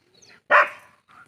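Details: One sharp, loud bark from a pet dog bursts out and fades quickly, with faint softer sounds just before and after it.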